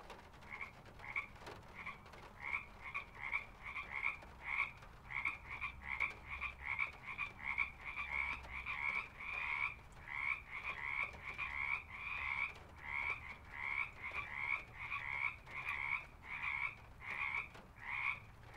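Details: Pond frogs in a field recording: a dense, continuous chorus of short, rasping, pulsed croaks, several each second, steady and unbroken throughout, with a faint low hum beneath.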